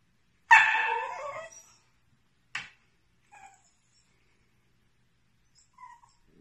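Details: Portia the whippet, apparently mistaking her own image for another puppy, lets out one loud harsh yelp lasting about a second, followed by a short sharp sound and a few faint whimpers in otherwise near silence.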